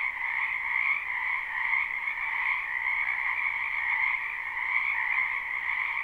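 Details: Wetland frogs in spring, recorded live and unlooped, form a thick, steady chorus of high-pitched trills; gentle pulsing in loudness roughly every second, nothing else audible.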